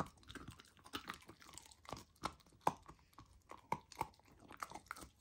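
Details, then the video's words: Lilo, a golden retriever puppy on a raw diet, tries raw lamb for the first time indoors: wet chewing and sharp crunching bites in irregular bursts, with louder snaps near two and a half and four seconds. "Puppy tries raw lamb for first time! ASMR Eating Sounds"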